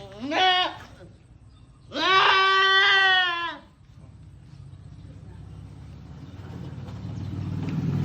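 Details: Goat in labour gives a brief bleat, then a longer wavering one, followed by a low rising rumble of background noise.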